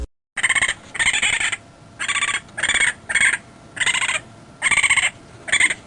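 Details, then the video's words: Raccoon giving harsh chattering calls: short rapid bursts of about half a second, repeated eight times in six seconds, with brief pauses between. "Tunog ng RACCOON | Sound of a RACCOON"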